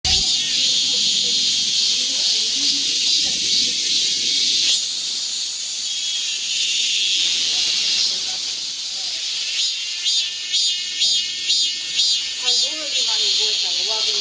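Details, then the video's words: Cicadas singing in the midsummer heat: a dense, shrill, hissing drone that holds steady, then swells into rhythmic pulses about twice a second toward the end, with faint low murmuring underneath. "한여름 무더위를 식히는 시원한 청량제와 같은 매미 소리"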